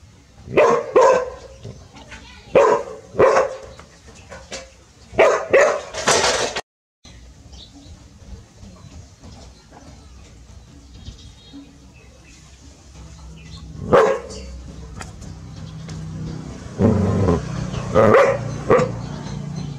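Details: Two village dogs, Pao and Rank, bark seriously when their family meets a snake. Sharp, loud barks come in tight clusters of two to four. After a long quiet stretch, a fresh burst of barking builds toward the end.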